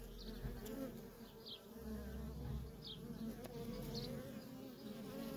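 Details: Short stretch of worker honey bee traffic at a feral colony, an even, low droning buzz with a bright overtone band and a few faint high chirps above.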